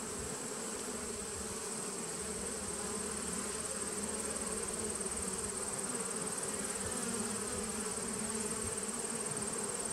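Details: Honey bees in a nucleus colony, recorded 19 September 2018: a dense, steady hive hum with strong low bands and an even drone that holds throughout, with a thin constant high whine above.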